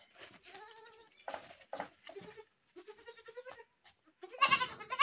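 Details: Goats bleating, several overlapping calls: wavering nasal bleats with stacked harmonics, some short and quavering, ending in a loud harsh scream-like bleat.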